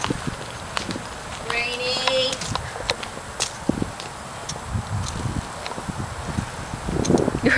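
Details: Rainy, a horse in a bachelor herd, screams at newcomer Amazon on Amazon's first time out with the group; a brief, steady, harmonic squeal lasting under a second, with people talking and footsteps around it.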